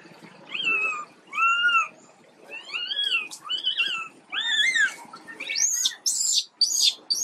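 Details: Sick baby monkey Quinton calls in a series of arched, wavering cries, each about half a second long, climbing into shriller squeals near the end.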